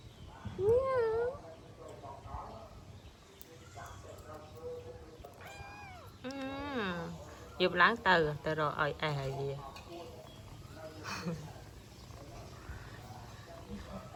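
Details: Kitten mewing repeatedly, wavering high cries followed by a rapid run of short harmonic meows, with a person speaking Khmer quietly in the background.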